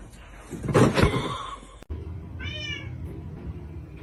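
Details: Domestic kitten giving one short, thin meow with stacked overtones halfway through, after a burst of loud rustling and handling noise, with a low indoor hum.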